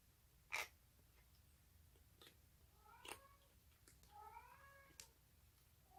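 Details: Stray orange tabby kitten, rescued as a baby, giving unusual sounds while eating on 1 March 2019, a brief rising mew and a longer, bending, harmonic squeal, mixed with sharp clicks of eating.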